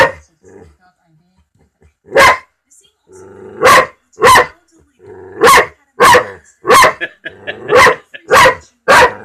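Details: Mike the dog barking at a talking cat, a string of about eight sharp, loud barks arriving roughly once a second, with faint growly sounds in between and a person's voice nearby.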